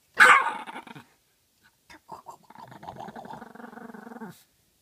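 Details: A female Chihuahua, too afraid to scratch the door open, barks through its crack asking for her bone: one sharp loud bark, a pause with soft snorts, then a drawn-out grumbling growl lasting about two seconds.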